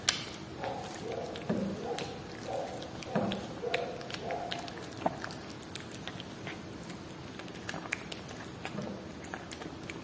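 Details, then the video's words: A cat chews through Whiskas salmon with soft, irregular wet clicks and smacks. In the first seconds a voice-like murmur runs alongside the chewing. "Cat Eating Whiskas Salmon ASMR"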